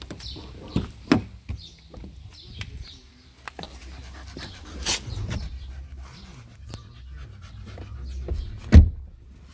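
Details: Bupa, an adult female Staffordshire Bull Terrier, panting softly while travelling in a car, with low breathy pulses under a steady engine rumble, a few sharp clicks and knocks, and one loud thump near the end.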